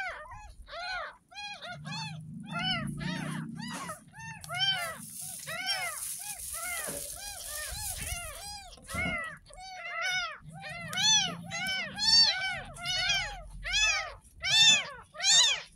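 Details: Tiny kitten, ten days old and found in a gutter, being washed for the first time; it mews continuously, short high arched cries at more than one per second for sixteen seconds, with running water hiss and quiet instructions in between.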